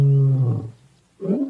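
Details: Lion roar, said to be the loudest roar of all the big cats and audible 5 kilometres away: a deep, heavy roar that slides downward, then a brief pause and a shorter second rumbling burst.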